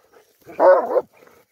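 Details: A single Rottweiler bark as two of the dogs head down a tower, loud and slightly drawn out, lasting about half a second, then quiet.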